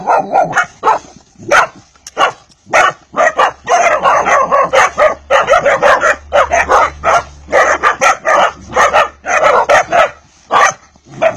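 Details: Hungarian Vizsla puppy of pedigree stock barking almost without pause, dense run of shrill yaps and barks blending into near-continuous noisy yelping, with a low hum in the background.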